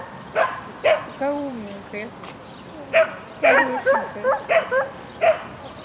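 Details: Shetland Sheepdog during an agility run at a spring 2016 event, 22 May 2016, barking excitedly, with sharp yaps about twice a second mixed with a person's voice in the background.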